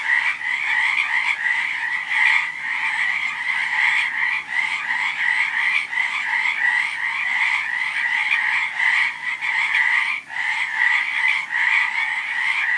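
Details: Massed frog voices form a thick, throbbing trill, rippling croaks overlapping without pause, with a short lull just after ten seconds and nothing else audible.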